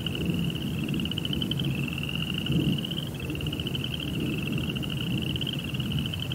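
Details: High, buzzy pulsing of crickets at night runs steadily throughout, with a dense low rumble underneath.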